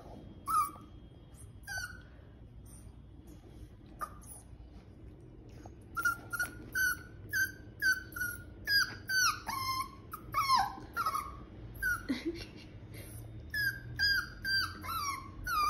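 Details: Albino poodle seeking attention with a run of descending whimpers, sparse at first, then coming in quick succession roughly twice a second, each a short falling whine, over faint indoor hum.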